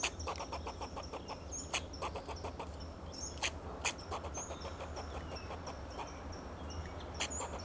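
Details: Fox squirrel alarm calling from a Monterey pine, Del Monte Forest, California, protecting itself and its territory: dense, rapid series of harsh clucking barks and loud clicks, with high thin whistles and a low steady drone behind.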